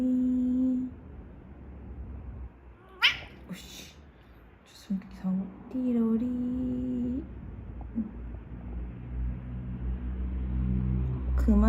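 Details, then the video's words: Domestic cat said to bark like a dog, giving low, steady droning cries with a few short, sharper yelps between them, held up to about a second each. People talk throughout, and brief music is heard. "개처럼 짖는 고양이"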